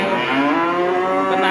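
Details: Furious cattle being released, its elderly leader showing youthful strength; a loud, sustained, richly harmonic bellow filling the whole moment, steady in pitch.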